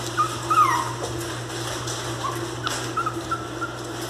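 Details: Miniature Pinscher puppy, described as fierce, crying: a few brief high whines, one rising then falling, another short pair near the end, over a steady low hum and faint clicks.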